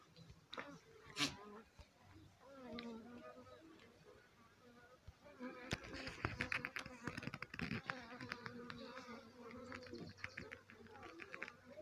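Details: Honey bee swarm settled on the roof of a house: a dense, wavering hum of many overlapping buzzing tones that swell louder midway, broken by sharp clicks and knocks.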